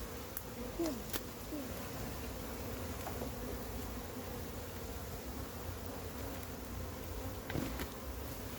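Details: Wild honey bee colony being caught and its combs handled, a steady low drone of many bees, overlaid by scattered sharp clicks and knocks and a brief faint whistle-like tone early on.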